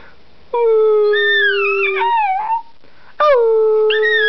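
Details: Miniature Schnauzer, sleepy, howling indoors: long steady tonal howls with rich harmonics, a sustained level note that bends and wavers near the end, a pause, then a second howl starting with a sharp rise and holding steady.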